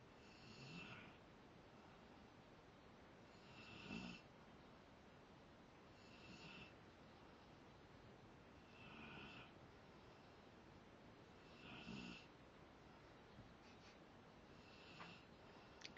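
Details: Zakk the Rottweiler asleep and snoring: louder rasping snorts come every two to three seconds, some sharper and fuller than others, with quiet breathing hiss between them.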